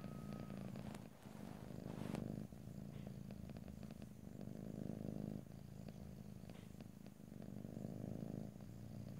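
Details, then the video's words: Close stereo recording of a house cat purring: a low throbbing rumble cycling with each breath, interrupted near the start by a couple of sharp clicks or taps. "ASMR Cat: Purring"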